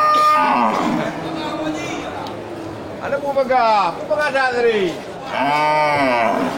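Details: Local beef cattle, large bulls, at the Geulumpang Payong livestock market on 8 May 2021; a drawn-out lowing moo with a falling tone near the end, amid men's voices and market chatter.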